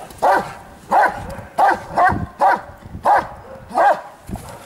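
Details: Giant Schnauzer in Lübben, Germany, barking in a steady series: seven loud, mid-pitched barks about 0.7 seconds apart, each short and harsh, with faint background noise between them.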